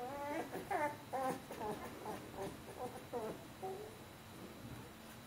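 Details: Bernese Mountain Dog puppies, fourteen days old, from a litter indoors: a run of high, squeaky, harmonic squeals and whines repeated about twice per second, fading toward the end, with a quiet room hum behind.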